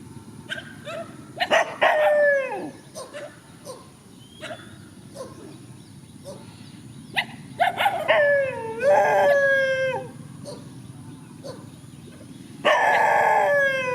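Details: In a rural field, dogs facing one another trade short yips and several drawn, descending howls, some wavering, spaced irregularly over the stretch, ending with a loud sustained cry; a low hum sits beneath.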